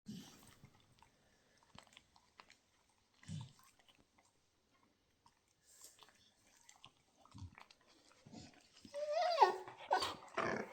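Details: Two Labrador Retrievers at play give low grunts every few seconds, then a louder whiny, wavering grumble near the end, amid chewing and rustling noises.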